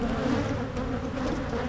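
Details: Carniolan honey bees buzzing as a beekeeper in Michigan opens a hive to make splits and checks drone brood for mites; a steady low hum with a bright band near the bottom and soft overtones, fairly even throughout.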